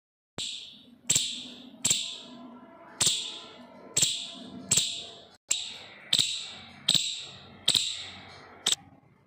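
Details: An Indian palm squirrel gives sharp, high chirps, repeated about every second in an uneven series, while chirping and barking near a window where it licks soil.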